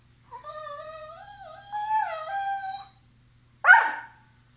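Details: Staffordshire Terrier playing with a Lab mix, a dog giving a long wavering whine that rises and dips over about two and a half seconds, then a single sharp yip after a short pause; quiet indoor background.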